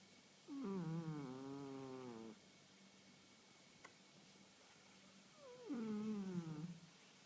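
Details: Sleeping young female house cat, 1.5 years old and newly a daily snorer: a long, nasal, falling snore of almost two seconds, then a pause and a second, shorter descending snore.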